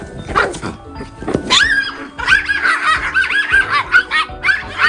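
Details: Toy poodle scuffling with a female dog friend during play that breaks into a fight. Dense, shrill, rising yelps and barks follow one another almost continuously over loud background music.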